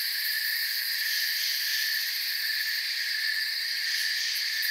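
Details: Crickets chirp softly in a calm forest at night beneath the moon and stars: a dense, steady, high-pitched chorus of overlapping trills in several shimmering bands, with no pauses and no other sounds.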